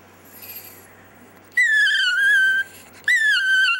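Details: Dexter, a pet chihuahua, "sings" indoors: after a quiet start, two long tonal howls, the first over a second long with a slight wavering pitch, the second shorter and falling, each rich in overtones.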